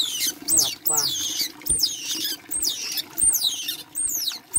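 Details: Baby otter at bath time uttering loud, piercing squeals, each sweeping up then down, repeated roughly every half second to second in an insistent series.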